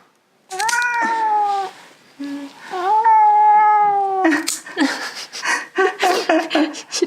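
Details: Russian Blue cat struggling fiercely against claw clipping indoors: two long, drawn-out complaining meows, a short one between, then scuffling and handling noise with a person's voice.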